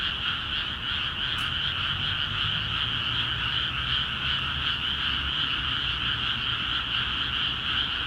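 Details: ['Frogs calling vigorously in rice paddies in Akiha Ward after water was let into the fields; a dense, unbroken chorus of overlapping croaks forms steady high bands, with a brief click early on.']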